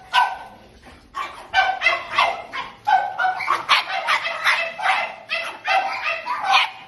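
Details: French Bulldogs in a kennel bark and yip in quick, overlapping bursts, with short pauses between volleys.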